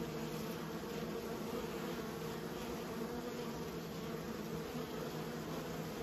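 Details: Continuous droning hum of kept honey bees, a low steady buzz with strong banded tones around 170 and 500, unchanging in loudness from start to finish.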